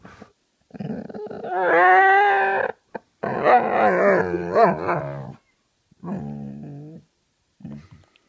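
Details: A grumpy Vizsla lying in bed grumbles in drawn-out, wavering moans that rise and fall in pitch.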